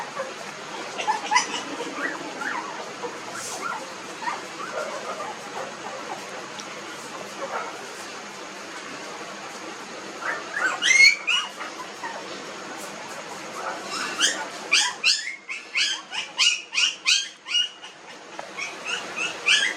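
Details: Puppies 19 days old, newborns in a village, giving a run of short squeaky whines and yelps, sparse at first then a dense rapid series in the second half, over low background hiss.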